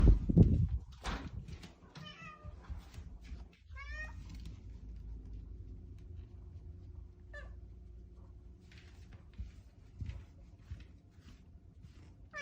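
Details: Very affectionate, attention-seeking Bengal cat meowing: a few short, rising-then-falling meows early on, then a fainter single meow later, over a steady low rumble and a loud thump at the start.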